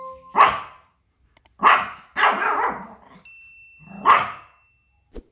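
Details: Small Pomeranian spitz barking when it hears outside noises, scolding and guarding its territory: four loud, ringing, high-pitched barks spaced one to two seconds apart, with a faint steady tone and a couple of soft clicks in the background.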